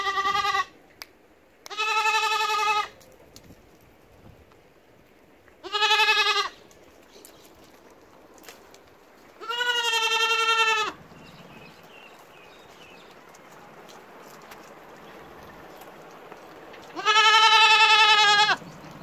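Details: Goat bleating, five loud wavering harmonic bleats of one to one and a half seconds each, spaced by quiet gaps of several seconds, with faint background hiss between calls.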